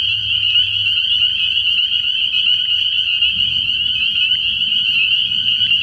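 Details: Chorus of spring peepers at a night-time frog pond early in the year, many high, piercing peeps blending into one continuous shrill ring, steady throughout, over a soft low rumble.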